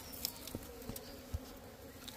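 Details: Small bees at their nest inside a hut give a quiet, steady droning buzz with a low hum and a fainter overtone. Scattered soft taps and knocks sound through it.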